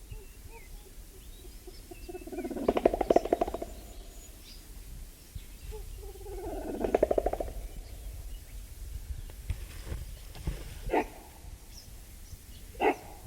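A mountain gorilla gives two harsh, rasping bursts about four seconds apart, followed by faint knocks.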